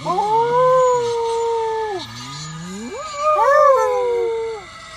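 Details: Domestic dog joins a fire truck siren with sliding, wavering howls: a low note rising into a held wail, a dip, then another climbing, quavering howl that falls away near the end.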